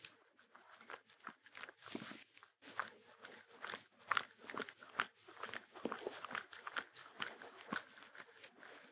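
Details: Shetland Sheepdog (Sheltie) eating. Crisp, crunchy bites come in a steady, irregular stream of sharp clicks and cracks. The room is quiet, with no music.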